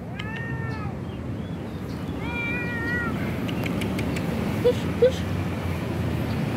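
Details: Stray mother cat living on the street, being given food, gives two drawn-out harmonic meows that rise and fall, the second longer and wavering, followed by two short sharp chirps over a steady outdoor rumble.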